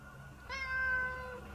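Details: A pet cat being affectionate and sweet toward its owner gives one drawn-out meow of nearly a second, steady in pitch with rich harmonics and a slight downward slide at the end, over a low steady hum.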